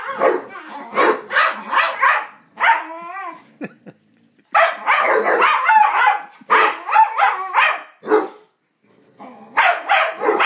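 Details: Psyche and Harvey, two dogs playing together and trading odd noises: clustered short barks and grunting bursts, a brief whiny wavering note, then silent gaps between further rapid volleys of harsh yelps.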